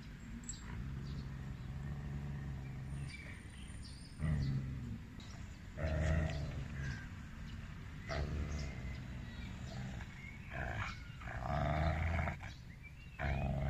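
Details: Siberian husky (Canis lupus familiaris), growl: aggression during a behaviour evaluation.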